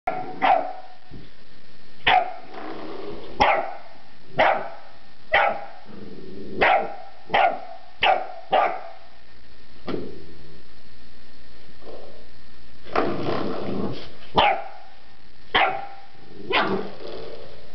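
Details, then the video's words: Puppy barking at a door stopper indoors: sharp, short barks repeated about once a second, with a brief pause and then a rougher, noisier run of barks toward the end. "Puppy barking at door stopper"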